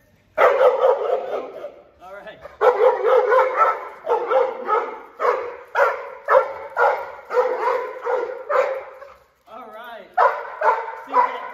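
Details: Thor, a German Shepherd Malinois mix at a dog training company, barks loudly and harshly in a steady series of about ten barks, roughly one per second, with a brief pause and a softer whine-like sound near the middle.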